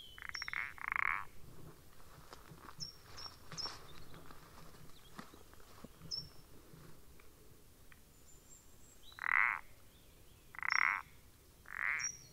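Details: Common parsley frog (Pelodytes punctatus) recorded 14 April 2020: short creaky, rasping croaks, two early then a close run of three near the end, with thin high downslurred chirps scattered throughout.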